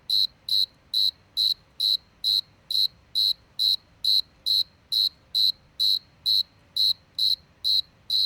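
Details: Lone cricket chirping: a long regular series of bright, shrill pulsed chirps, a little over two per second, steady in pitch and loudness, with a faint low hum beneath.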